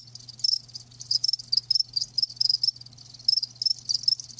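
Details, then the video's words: Crickets, live, giving bright high chirps in quick groups of two to four pulses, repeated through the clip over a softer chorus and a steady low hum. "Live Crickets 60min "Natural Sound" ASMR"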